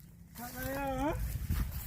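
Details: Cattle mooing: one sustained, harmonic-rich call held level for most of its length, then rising sharply in pitch just before it breaks off, over a low rumble of background noise.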